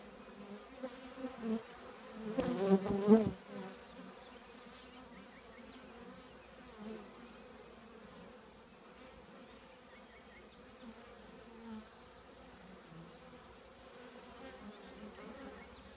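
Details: Steady drone of a honey bee colony nesting in an old trash can, broken early by a loud, brief buzz as a single bee passes near, then settling back into an even, low hum.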